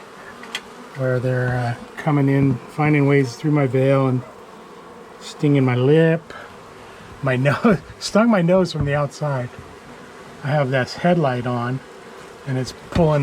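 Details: Angry honey bee colony removed from the wall of a house on day one of a March 6 cutout, bees exploiting tears in the veil; repeated loud buzzing bursts of bees darting close, some sliding up and down in pitch, low hum throughout.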